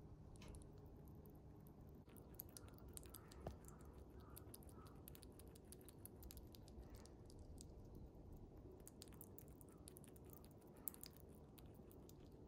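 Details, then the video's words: A chipmunk munches its beloved jelly treat, a food for small animals, in a quiet room. Sparse wet clicks and brief squishy chews are scattered over a steady low hum, with a few sharper ticks. "Chipmunk is eating jelly(for small animals)/ゼリーをクチャクチャ食べるシマリス"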